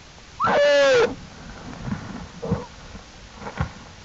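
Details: American black bear cub with mother Jewel outside the den, April 2, 2012, Wildlife Research Institute; a single loud cry rising then slowly falling, followed by faint soft grunts and rustles.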